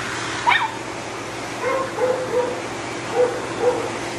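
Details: Matted Shih Tzu with no tolerance for discomfort, biting from pain while being dried: one sharp yelp, then a run of short, high whimpers repeated about every half second, all over the steady roar of a blow dryer.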